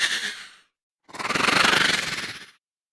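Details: A horse moans: a short breathy sound, then a longer, rapidly pulsing, throaty moan.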